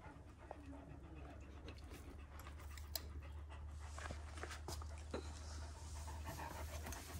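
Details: One-year-old Kangal dogs in Alanya, Antalya, Turkey, on 24 September 2024: breathy, uneven panting puffs, roughly two per second, growing louder toward the end over a steady low hum.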